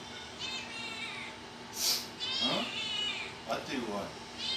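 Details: Kitten trading sounds with a woman who talks back to it. Several short, high, wavering meows are mixed with her questioning voice, and there is a brief sharp noise near the start.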